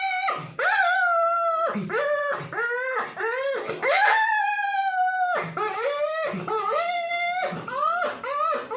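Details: A young dog whimpers and howls in quick succession: high, tonal cries that rise and then fall, repeated roughly every half second to one second, with a few longer wails in between.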